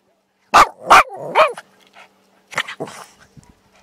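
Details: Whippet barking: three sharp, loud barks in quick succession, followed after a short pause by a softer burst of quick yips and short barks in a quiet setting.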